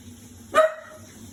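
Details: Five-month-old Shiba Inu puppy, scared of a washing machine, gives one short bark that trails into a brief whine over a steady low appliance hum.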